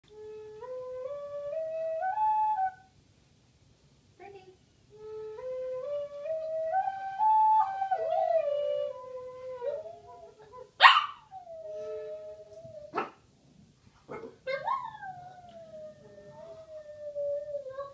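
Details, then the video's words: Boston Terrier named Brindie howling along to a Native American flute indoors: stepped flute notes at first, then from about eleven seconds sliding, wavering howls that rise and fall, repeated twice with brief pauses between. "Dog howls to Native American flute"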